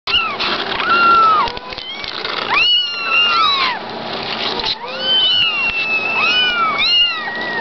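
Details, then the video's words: Kittens in a box giving a steady stream of high, arching meows, several voices overlapping, each call rising then falling, with barely a pause between them. "KITTENS IN A BOX"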